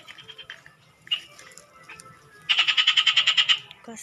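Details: Frog calling by a canal, searched for at night: a rapid train of about eleven sharp, evenly spaced clicky pulses in a high buzzy band, lasting roughly a second, after fainter scattered pulses and brief human voice sounds.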